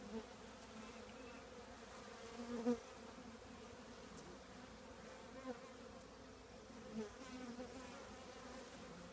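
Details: Hive of honey bees inside an old trash can: a faint, even droning hum throughout, with a few brief louder buzzes from bees passing nearby.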